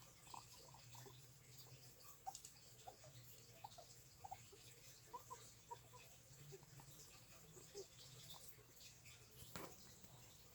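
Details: Several guinea pigs give quiet, brief chirping squeaks, scattered and repeated throughout, against a low droning background hum and faint hiss, with a single sharp knock toward the end.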